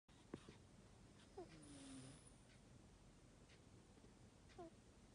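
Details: Old Chihuahua with a slightly stuffy nose snoring; quiet breathing with a whistled nasal tone that slides downward over about a second, plus a few soft clicks and snorts against low background hiss.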